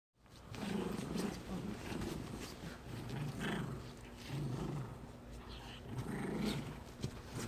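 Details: Two poodle siblings, a brother and sister, playing tug together amicably; low rumbling growls rise and fall in bursts across the clip over a steady background hum.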